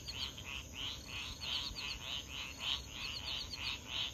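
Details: At 3 AM near swamps in Foulpointe on Madagascar's east coast, 500 m from the ocean, frogs give rapid, high chirps about three times a second with crickets over the steady rush of roaring surf.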